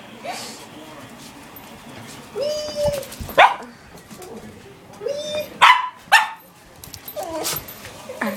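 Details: A female pet dog wanting her bone back lets out a few sharp, short barks spaced several seconds apart, between a woman's quick repeated talking and encouragement.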